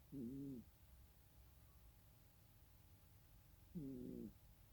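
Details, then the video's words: Cat snore: two low, harmonic, wavering breath sounds almost four seconds apart over a quiet hiss. "고양이 코골이"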